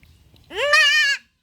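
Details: Young goat kid held for castration gives a single loud bleat, rising at the start, then a steady, nasal, strongly harmonic cry lasting about three quarters of a second before stopping abruptly.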